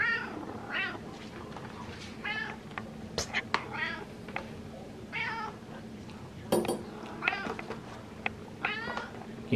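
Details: Indoor pet cat meowing and chirping insistently for tuna fish: about eight arched, wavering meows spread through the clip, mixed with clattering, sharp clicks and a person's voice.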